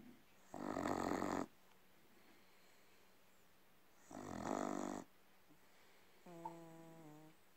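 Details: A red Staffordshire Bull Terrier snores in long, rasping breaths spaced several seconds apart.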